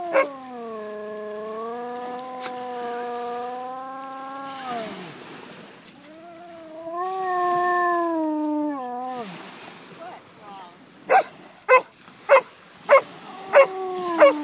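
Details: Basset Hound baying at Island View Beach, with a long drawn-out wavering howl, a second falling howl, then a run of sharp repeated barks from another dog toward the end.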